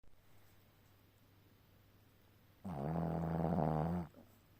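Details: Ponka, a sleeping dog, snoring like a man: a single drawn-out, low, buzzy snore lasting over a second after a quiet stretch of room hum.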